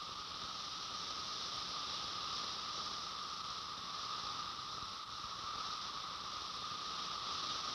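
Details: Periodical cicadas, males congregated after emergence, chorus in unison with their drum-like sound organs, a steady, dense, high buzzing drone; the chorusing is their mating call.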